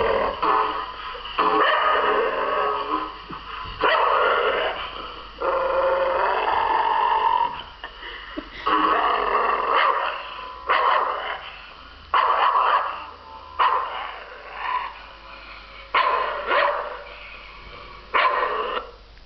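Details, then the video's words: A Staffordshire Bull Terrier, hearing his own growl played on TV, growls and grumbles in rough, rising bursts, with brief yips between. "Staffordshire Bull Terrier"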